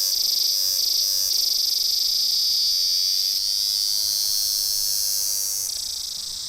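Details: Hundreds of cicadas, well camouflaged and hard to spot, beside the sea on Emerald Island near Pattaya, Thailand, give a loud, continuous high-pitched chorus, a shrill steady buzz with a faint pulsing throb.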